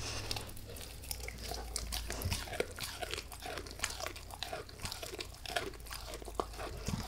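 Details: Max, a pet dog, gnawing a beef rib indoors in a small room: rapid irregular crunches, bites and wet chewing clicks follow one another almost continuously, with a low steady hum in the background.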